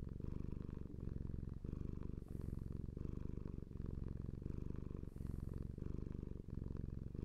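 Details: Domestic cat purring steadily: a deep, continuous rumbling buzz, swelling and easing with each breath roughly every one and a half seconds, with faint soft breathy hisses at the peaks.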